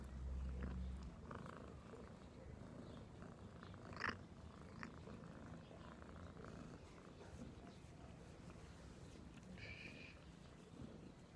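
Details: House cat purring in a low, rapid rumble that pulses steadily, with a sharp click partway through and a short higher squeak near the end.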